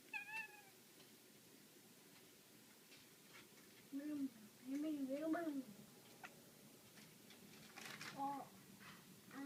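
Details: A pet black female cat playing with a laser pointer indoors makes a short wavering meow, then after a pause a run of bending, chirping mews around four to five seconds, and one more brief call near the end.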